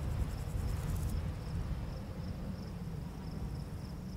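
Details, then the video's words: Crickets at night in a summer barley field under a full moon: evenly spaced high-pitched chirps about twice a second, a short shrill buzzing trill at the start, and constant deep wind noise sweeping the grass. "Crickets Chirping"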